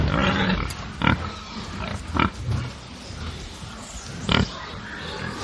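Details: Angry pigs on a farm give harsh, broadband squeals every second or two over a bed of low, rumbling grunts.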